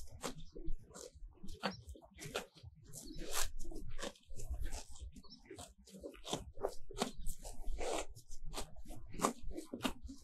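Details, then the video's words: In a pasture on a sunny day, cows pull off fresh grass right beside the microphone: a dense run of crisp tearing snaps, some louder than others, over low muffled munching. "Grazing cows - grazende koeien"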